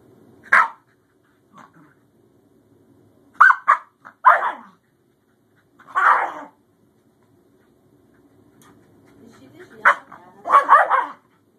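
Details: Newly adopted Scottish Terrier puppy named Bjorn meeting his older sister Savannah, the encounter first looking like a conflict then turning to play; short sharp barks in scattered bursts, some doubled, with quiet gaps and faint low rumbling between.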